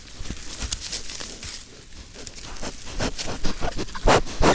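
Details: A herd of wild boar (Sus scrofa) investigating a camera trap in forest near Vilnius, Lithuania, early morning, 13 September, pushing snouts into the lens: close uneven runs of low, breathy snuffles and soft grunts, then two louder, rougher snorts near the end.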